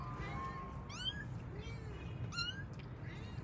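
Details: Pet kittens searching for their mother cat give two quick bursts of high, rising mews, each a short thin squeal, with one lower drawn-out meow between them over a steady low hum.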